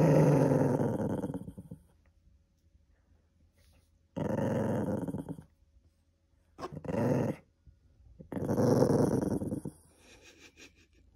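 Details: Cream poodle growling indoors to keep something from being taken, in four low rumbling bursts of one to two seconds each, separated by short silences, in a small room.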